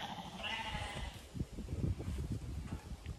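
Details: Zwartbles lambs just herded through a gate on a farm in County Kilkenny, Ireland; a short wavering bleat is heard early, over rustling, trampling and low handling noise.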